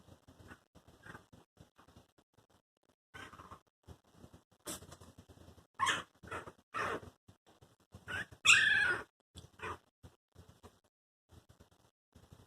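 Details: Four newborn Chihuahua puppies, under two weeks old, moving about together, giving short high squeaks and thin whines in scattered bursts, one longer squeal standing out, amid soft rustling and shuffling.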